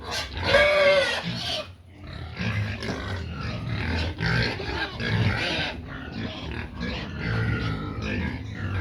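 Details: Hungry pigs clamouring for feed: one long, shrill, wavering squeal opens, then a dense chorus of shorter, harsh squeals and low grunts follows, rising and falling over several seconds.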